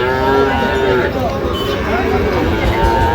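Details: Sahiwal bull calves at a livestock market in Brahmanbaria, Bangladesh, on 19 December 2025. Drawn-out, low, harmonic moos follow one another across the clip, with sellers and buyers talking over the calls.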